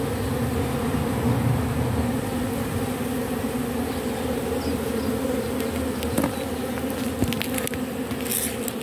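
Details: Buzzing of a robber bee at work stripping propolis off matchsticks: an even, unbroken droning hum throughout, with a few faint ticks and clicks near the end.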